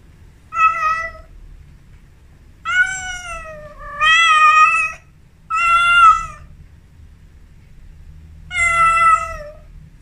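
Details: Amora, a female Persian cat in her first heat, gives four drawn-out, wavering yowls with rich harmonics, each about half a second to a second long and separated by pauses of one to two seconds, in a quiet indoor room.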